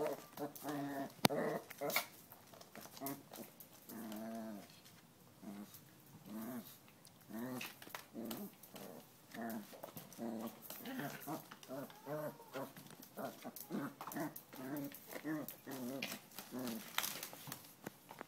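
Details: Chihuahua playing with a canvas shoe indoors, making a long run of low, rumbling play growls in short bursts, rising and falling, with frequent clicks and scuffs of the shoe being tugged.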